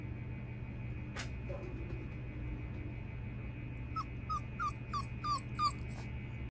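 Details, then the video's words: Beagle crying, described as a crybaby: a brief series of six short, high, downward-slurred whimpers spaced about a third of a second apart, after a single sharp click, over a steady low electrical hum. "ビーグル 泣き虫です。"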